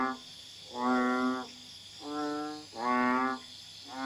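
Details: At night in a garden in Kuala Tahan, Pahang, Malaysia, a banded bullfrog (Common Asian Bullfrog, Kaloula pulchra) calls in the background, giving deep, nasal, bellowing calls about every two seconds, each lasting half a second.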